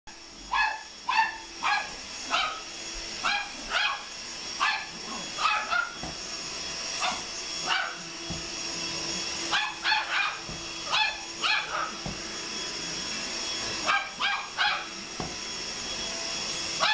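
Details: Pet chihuahua barking frantically while attacking a running vacuum cleaner indoors: sharp, high yapping barks in quick bursts of two or three, repeated throughout over the steady high whine and hum of the vacuum.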